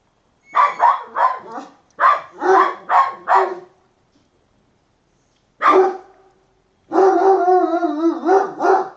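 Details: Kangal dog called Pasa, described as irritable and very angry, barking hard in two quick runs of four to five deep, rough barks, one lone bark after a pause, then a strained, wavering growl-like whine mixed with further barks.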